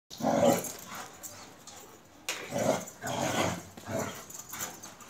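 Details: Two Akbaş shepherd dogs from Turkey playing together, giving short rough growling barks in three bursts about a second apart, with quieter gaps between.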